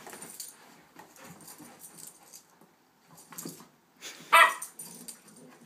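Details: Eight-week-old Shepherd/Rottweiler pup and one-year-old Rhodesian sister play-fighting: soft rasping growls and grumbles, a brief pause, then a loud high yelp.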